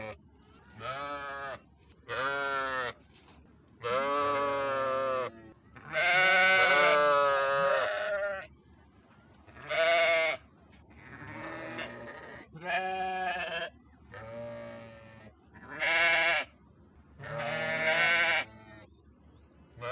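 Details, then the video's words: Sheep giving roughly nine loud bleats of varied length, several long and quavering with rich harmonics, others short and clipped, with brief near-silent pauses between them. "صوت خروف"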